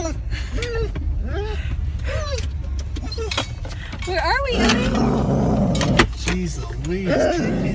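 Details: Excited female dog Ellie, wanting to play with other dogs at the dog park, repeats quick arching whimpers and yelps in a busy series, with a person speaking and vehicle noise in the car around her.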